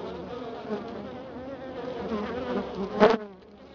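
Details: Honey bees at a hive in Florida after a week of cold weather, a steady dense low hum of many bees with layered droning tones, and a brief sharper rustle or knock near the end.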